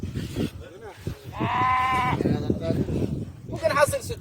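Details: Dairy goats on a farm in Saudi Arabia, visited in the afternoon to collect milk; one wavering, nasal bleat lasting under a second rises above constant men's talk, with scattered farm clatter before and after.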